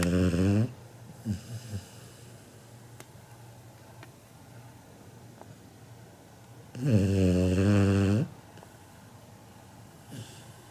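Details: Snoring Labrador Retriever puppy Kinako, 7 months old, asleep and as loud as a human: the tail of one deep snore, several seconds of quiet breathing with small clicks, then another rumbling snore of about one and a half seconds.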